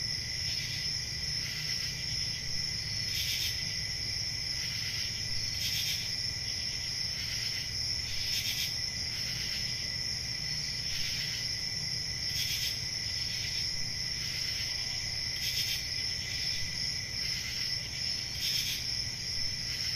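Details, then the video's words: Summer-night forest crickets keep up an unbroken shrill trill, with a steady tone near the top and short brighter chirp bursts recurring roughly every two to three seconds above a soft low hum. "Relaxing Cricket Sounds For Sleep Ambient Summer Night"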